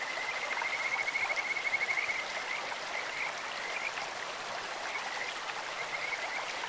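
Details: Kajika frog in a stream giving a quick, high, pulsed whistling trill in the opening seconds, followed by scattered softer notes while the flowing water keeps up a steady hiss.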